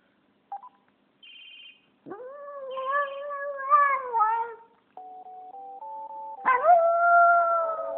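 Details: Pet Japanese Spitz answering sounds from a phone: ringtone beeps, then a rising howl held steady before breaking into short wavering yelps, a few stepped electronic tones, and a second strong sustained howl that tails off slowly.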